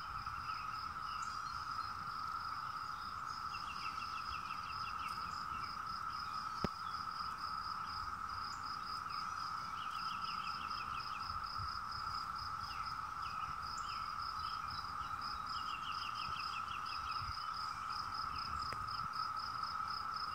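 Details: Massed 17-year cicadas keep up a continuous trilling drone throughout. A faster, high-pitched pulsing insect note runs over it, with several short rattling bird trills scattered through the recording.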